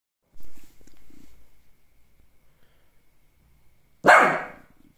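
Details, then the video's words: Lhasa Apso giving a single sharp, loud bark near the end, preceded by several seconds of faint low rumbling and quiet background noise. "#barking #lhasa #apso"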